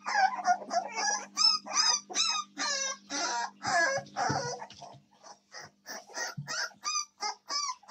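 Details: Several American Staffordshire Terrier puppies filmed 7 May 2024 give shrill, quavering yelps and whines in quick bursts, roughly two or three a second, some rising then falling, over a faint low hum.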